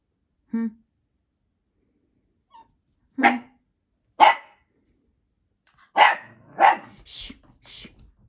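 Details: Blue Italian Greyhound indoors: a short high whine, then a run of sharp barks, two single ones followed by a quick cluster of four, rising into brief high yelps at the end.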